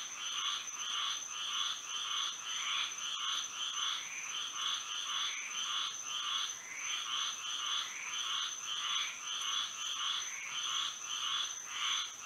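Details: Florida frogs singing by moonlight at night: rapid, rhythmic croaking bursts, roughly one hundred a minute, layered from multiple animals over a continuous high-pitched hum.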